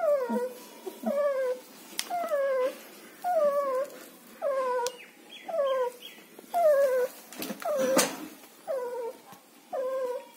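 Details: German Shepherd puppies for sale in Chennai whimper steadily, about a dozen short whines arriving roughly once a second, each dropping in pitch, with a few clicks and bumps in the background.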